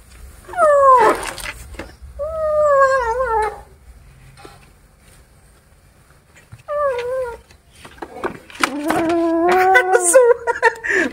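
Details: Cat; growl; anger at being disturbed while eating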